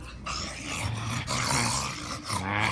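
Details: Energetic bulldog ready for playtime, wrestling with a man: low rumbling growls and grumbles in steady bursts, rising and falling for nearly three seconds, with a man's voice and scuffling around it.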